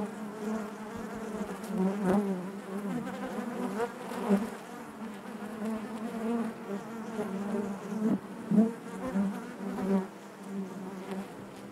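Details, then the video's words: Natural buzzing of a honey bee colony inside its hive: steady low hum with harmonics above, repeatedly swelling as bees move close, several sharper loud buzzes around the middle and later. "bees therapy hive natural buzzing sound"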